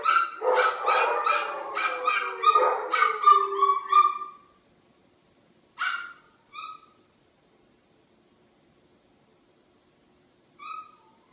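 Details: Pet dogs in a home raising a morning wake-up chorus: a burst of rapid overlapping barks and whines for about four seconds, then silence broken by a few single sharp barks spaced several seconds apart.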